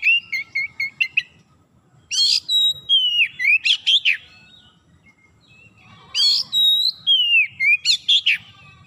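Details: Oriental magpie-robin kept at home, singing a varied song: clear whistled notes around a steady pitch, sharp rising and falling sweeps and buzzy bursts, delivered in two phrases separated by a short pause.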